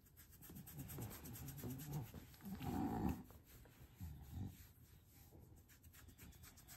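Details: English bulldog giving low, rough snorting grunts that swell to a louder throaty burst near the middle, then fade into softer breathy snuffles, with faint rubbing noises in the background.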